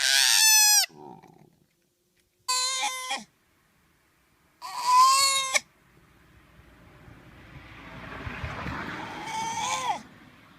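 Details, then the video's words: Koala letting out three short, high, strained squeals in the first half, then a rising hiss of background noise before one more brief wailing squeal near the end. "Real Koala Sound | Sonido de Koala Real | Vrai Son de Koala"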